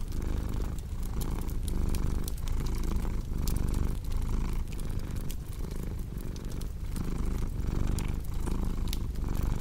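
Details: Cat purrs evenly, its deep rumble rising and falling in regular breath cycles under light, scattered crackling from a fireplace.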